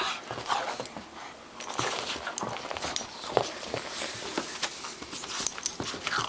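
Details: Bulldog puppy aged two months playing with a Boston terrier, heard as close breathy huffs, low grunts and brief whines, irregular and overlapping, with light rustling underneath.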